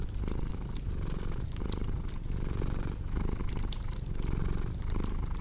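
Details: Cat purr heard as a dense, low vibrating drone pulsing in regular breathing cycles, while a fireplace crackles with bright, scattered pops throughout.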